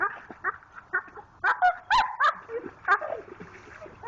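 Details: A Pit Bull, Jayde, digs in a creek for a rock while letting out strained, squeaky whimpers and short yips, several quick bursts per second with wavering pitch; water trickles softly beneath.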